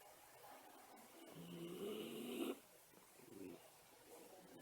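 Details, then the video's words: Napping Miniature Schnauzer gives a hissing, whistling snore that swells for about a second and stops abruptly. A fainter breath follows in a quiet indoor room. "犬のいびき・・・寝息？ ミニチュアシュナウザー"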